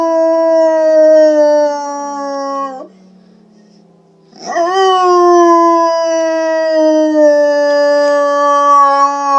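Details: Pet dog howling to tornado sirens: a loud, sustained tonal howl that drifts slowly downward, breaks off into near silence for about a second and a half, then rises sharply into another long, steady, drawn-out howl.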